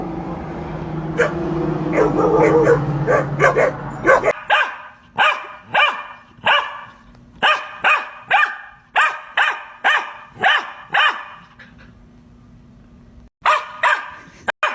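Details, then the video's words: An Australian Shepherd herding dog gives a drawn-out whining vocalization, then breaks into a fast run of about fifteen sharp, loud barks roughly two per second, a short pause, and two final barks. "Australian Shepherd Barking Sound Effects"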